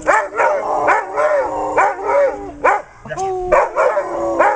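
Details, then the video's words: Female Weimaraners serenading on their owner's prompt: wavering, arching howls in short bursts, a brief pause near the middle, then a fresh rising howl, with a faint human voice in the mix. "Singing Weims"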